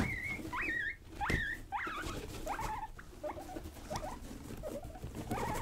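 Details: Young pet guinea pigs Rosie and Buddy being wild and playful indoors: a run of rising, upward-sweeping squeaky wheeks, about one and a half per second, over soft patter and rustling of bedding.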